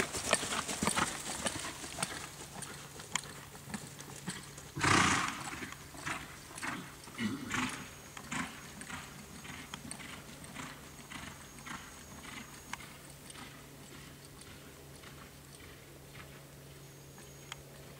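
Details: Quarter Horse gelding born 2007, by Boomernic out of a Freckles Playboy daughter, trained for reining: rapid, scattered hoof strikes with one loud scuffing burst early on, over a steady low electrical hum.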